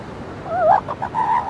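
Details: Seal pup on a beach giving a clear, wavering, moaning call that bends up and down, then a steadier sustained note, with faint surf behind.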